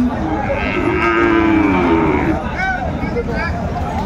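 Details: Sahiwal bull calves at the Aftabganj cattle market on 4 May 2024, bought by a farmer from Chittagong. One long, steady, low moo holds for about two seconds, then tapers off under a murmur of market voices.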